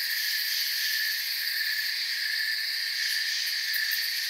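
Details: Many crickets in a forest chirping together as a continuous high buzz, even in loudness, with brief brighter flickers of pulsed chirps toward the end.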